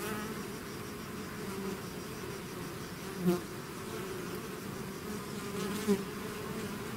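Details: Swarm of bees leaving the hive: a constant layered drone with low humming bands, broken by two brief louder buzzes as single bees fly close past.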